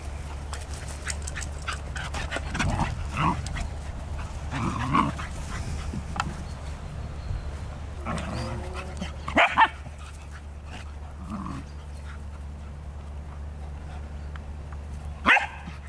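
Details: Two English Cocker Spaniels, Ruby and Bella, playing together in August 2014: scattered rough growls and short yipping whines come in bursts, with sharp yelps near the end, over a steady low rumbling background.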